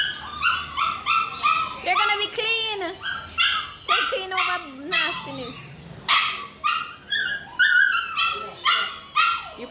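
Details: Shih Tzu named Snow on a first visit to the groomers, giving sharp, high yapping barks about twice a second in a steady run, with people talking over a stretch in the middle.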